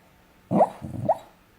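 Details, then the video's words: Coco, a nine-year-old brown Cockapoo, dreaming in her sleep: two muffled, low woofs about half a second apart, soft and throaty, in a quiet room. "Dog's DREAMING and SNORING"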